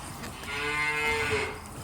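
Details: Simmental calves offered for sale, one giving a short, steady mid-pitched moo lasting about a second, with a faint hum of background noise.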